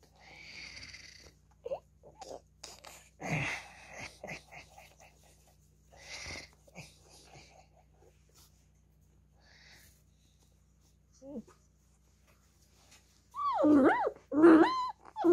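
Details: Beagle puppy playing with a hand: soft raspy, wheezing huffs and short snorts come in scattered bursts, with quiet gaps, then a loud cluster of high, wavering whiny yelps near the end.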